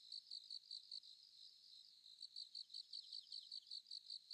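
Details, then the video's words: Sickle-bearing bush-cricket with a thin, faint voice, producing high, dry clicking pulses in quick regular bursts, roughly two to three per second, against a quiet background. "クリック音 ツユムシの鳴き声"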